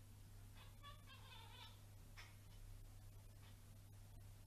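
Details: Birman cat giving a short, wavering, tonal meow of about a second with strong harmonics, then two brief softer chirp-like sounds, over a steady low hum in a quiet indoor setting.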